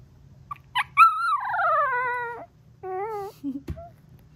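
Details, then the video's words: A 3-week-old female Golden Retriever puppy making her first sounds: a short squeak, then a long wavering whine that slides downward, a second shorter rising-falling trill, and a brief yip at the end. "Puppy Trills, The Cutest You'll Ever Hear!"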